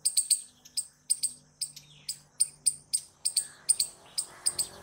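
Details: Squirrel chattering in clear, sharp high chips, single and paired, evenly spaced at roughly two to three a second, with a soft hiss rising toward the end.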